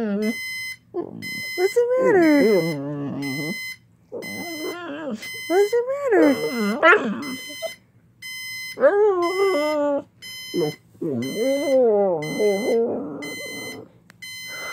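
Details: Pet pit bull named Jäger reacting to a ringing alarm clock, giving long wavering howls and whines in bursts of one to three seconds with short pauses, over a steady, rapid, high electronic beeping alarm throughout.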